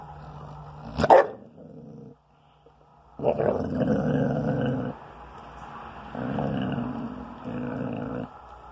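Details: Young spayed female Basset Hound, just turned twelve months, upset and guarding her bone while being teased: a sharp bark near the start, a short silence, then sustained rumbling growls in three long bouts.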